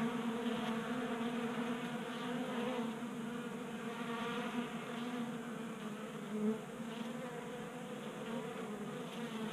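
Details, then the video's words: Honey bees feeding from a 3D-printed bee feeder on a garage workbench in Colorado, January warm spell; steady collective wing buzz with one sharper, louder buzz as a bee passes near at about six seconds. "45 Minutes of Honey Bees Feasting from 3D Printed Bee Feeder ASMR"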